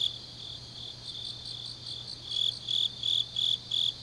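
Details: Grass insects on a deep autumn night in Changnyeong, South Gyeongsang, Korea: faint high chirps at first, then after about two seconds louder shrill pulses come roughly three per second over a low steady hum.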